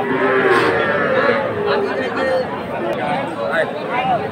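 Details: Cattle at a Manikganj livestock market in Bangladesh on 30 November, where farmers buy small bull and heifer calves. Short, wavering mid-pitched moos repeat irregularly through a dense backdrop of talking people.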